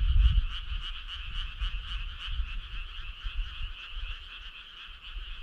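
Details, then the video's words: Many frogs calling together on a summer night, a steady trilling hum with clearly separated rapid pulses repeating about twice a second in the upper voice, low rumble beneath. "Cool frog sound"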